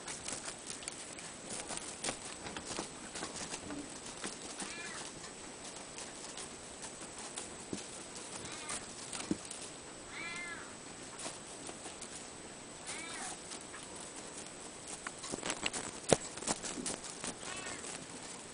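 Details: Ragdoll cat siblings indoors: several short, faint, arched meows, each rising then falling, at about four, nine, ten and thirteen seconds, amid frequent sharp clicks, taps and soft pattering from the room.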